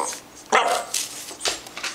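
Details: Indoors, a dog keen on cheese lets out one sharp bark-like yelp that slides down in pitch, followed by softer breathy sounds in a small room.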